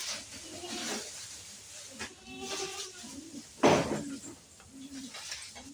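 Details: Goats of an improved breed on a home goat farm bleat in short, wavering, nasal calls, one after another, with people talking nearby and a sharp knock partway through.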